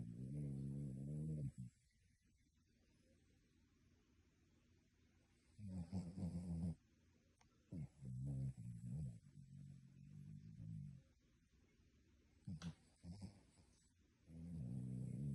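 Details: Dog asleep and snoring like a human, giving a run of deep, droning snores separated by quiet pauses, with a few shorter snorts in between. Some are long and steady, others broken and uneven.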